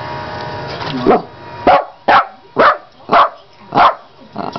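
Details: Female pet dog indoors, playing with a carpet cleaning tool held by a person; after a brief stretch of talking, six short sharp barks come about every half second, each burst loud and evenly spaced.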